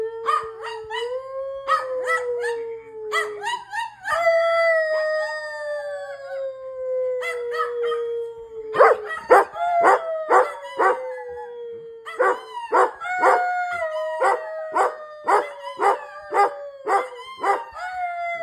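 A standard poodle howls in long, sliding tones, then breaks into rapid, repeated yelping barks.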